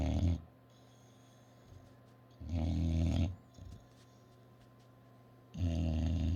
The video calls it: English bulldog snoring❤Angol bulldog horkol❤